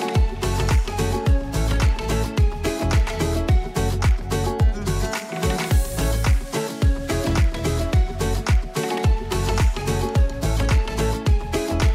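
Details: Loud upbeat dance music with a steady driving beat fills the whole recording, with no animal sound.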